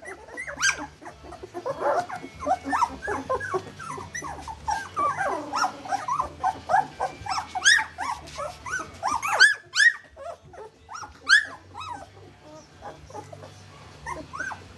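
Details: Two-week-old puppies walking wobbly, a crowded chorus of thin whines and squeaks overlapping densely at first, then thinning to scattered louder arched yelps and gaps of near quiet, over a low steady background hum.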